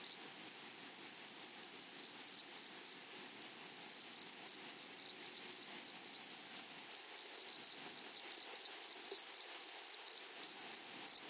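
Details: High thin insect song from grasshoppers in a flowering prairie meadow, a continuous shrill tone broken into rapid pulses. Scattered scratchy rasps grow denser in the middle of the recording.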